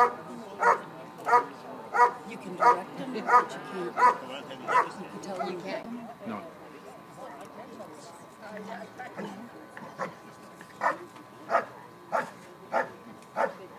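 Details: Dog barking in a bark and hold at the 2013 Schutzhund USA Nationals IPO event: a run of regular sharp barks, a pause filled with people talking, then the barking resumes at a steady pace.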